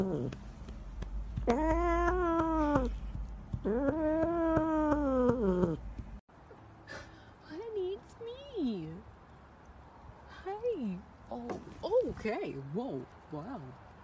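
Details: Domestic cat from a funny pet compilation, giving two drawn-out, harmonic yowling meows of about a second each, then shorter wavering meow-like calls mixed with a person's excited talking indoors.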